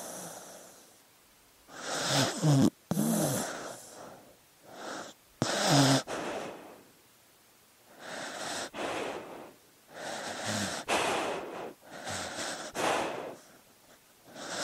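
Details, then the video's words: Dog asleep, making a run of wheezy, snorting breaths in uneven bursts, some rough and rumbling, others airy and hissing, with short gaps between. "Sleeping Dog Sounds"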